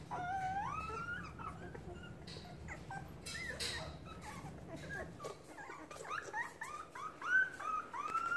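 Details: Hungry puppies in a pen cry to their mother just outside; long rising whines open the clip, followed by choppy whimpers and a rush of high, bent squeals at the end.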